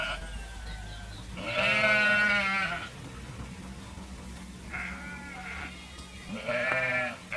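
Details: Three separate sheep bleats with quiet gaps between them: one loud, wavering bleat of about a second, then two shorter, shakier ones near the end. A faint low rumble runs underneath.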